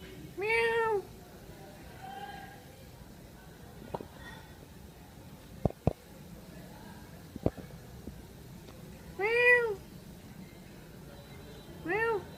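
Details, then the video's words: A cat meowing while drinking milk: a loud, harmonic meow at the start, a quiet stretch broken by sharp clicks and taps, then two more strong arching meows near the end. "Funny Cat Sounds"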